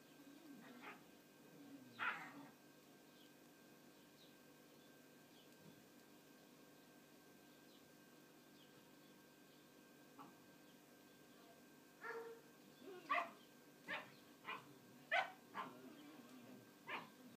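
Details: Two puppies, the last two kept from a litter of nine born in October 2011, play in a hole in a hessian bed. After a faint yelp early on, a quick burst of short, high yips and squeaks follows near the end.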